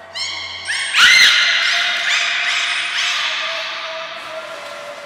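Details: Belugas Nana, Mirai and Niko during a training session at Port of Nagoya Public Aquarium, 22 May 2022: a loud burst of stacked, harmonic whistled calls, some sweeping upward, overlapping for several seconds before fading, with the echo of a large indoor hall.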